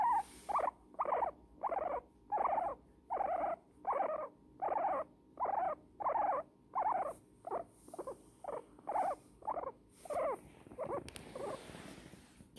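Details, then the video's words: An elderly female guinea pig named Pumpernickle, cuddled in a blanket and content, gives a regular string of short squeaks, roughly every two-thirds of a second. The squeaks fade and thin out near the end, leaving rustling. "Guinea pig squeaking enjoying a cuddle"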